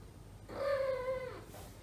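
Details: Asia, a female house cat in heat searching for love among neutered housemates, gives one steady, nasal yowl lasting about a second, level in pitch with rich overtones, in a quiet indoor room.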